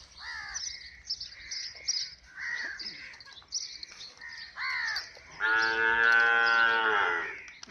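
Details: Nili-Ravi buffalo offered for sale in Pakistan gives a loud, drawn-out harmonic moan lasting about two seconds near the end, after a run of harsh, repeated crow caws that fill the first five seconds.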